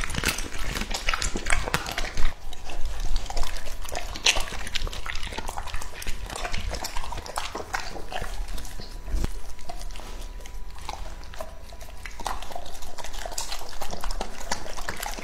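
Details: A young male English-type Labrador Retriever eats a meal of raw meat with bell pepper and taro. Steady wet chewing, lip-smacking and crunching continue throughout, with a few sharper bites and a low background hum.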